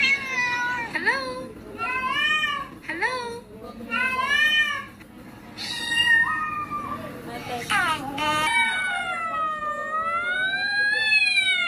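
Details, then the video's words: Cat making weird sounds: a run of short rising-and-falling meows, some clipped, then a long undulating wail that swoops up and down for several seconds, with voices in the background. "WEIRD CAT SOUNDS"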